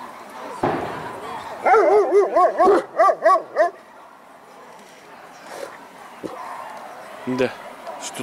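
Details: Caucasian Shepherd Dog barking at a single-breed dog show held 6 September 2014, several males on show: a run of about eight quick, harmonic barks in mid-pitch, then quieter sounds and a short late bark, with people talking nearby.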